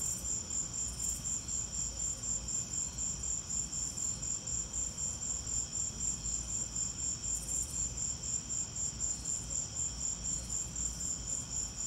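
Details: Crickets chirping during a lightning storm: a steady high-pitched pulsing trill repeated about four times a second, with a constant low rumble beneath.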